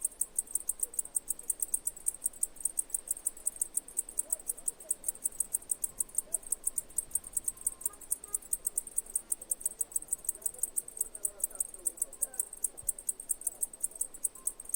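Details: Cicada chirping: a steady train of high, thin, evenly spaced pulses, about five or six each second, continuing unbroken throughout, over a faint low background murmur.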